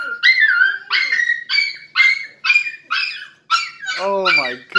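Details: Male Miniature Schnauzer welcoming an owner home after a two-hour absence, giving emotional crying: a series of short high whining yelps about once a second, ending in a longer wavering whine.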